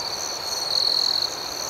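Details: Crickets at night: a steady high-pitched ringing tone, with a louder pulsed trill of rapid chirps near the middle, over a faint second higher band of insect buzz.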